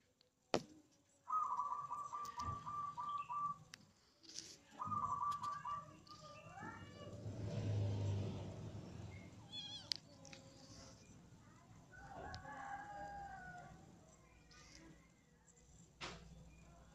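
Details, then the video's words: Playful kittens romping together, giving two long, steady, drawn-out meows in the first seconds, then a burst of shorter wavering mews and a few fainter calls later, with soft human voices and handling noises in the background. "Anak kucing paralon bercanda"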